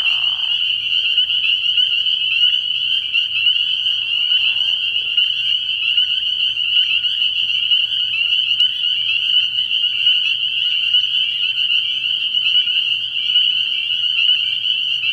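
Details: Night chorus of spring peepers at a frog pond early in the year: countless high, piercing peeps blend into an unbroken shrill ringing, with a brief lower murmur at the start and a faint low hum.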